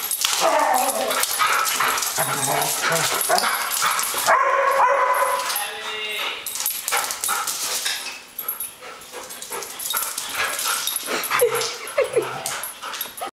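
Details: A pair of Airedale Terriers, one harassing the other: a dense, continuous tangle of raspy growls, short yips and whimpers, with brief human speech mixed in and a quieter stretch toward the end.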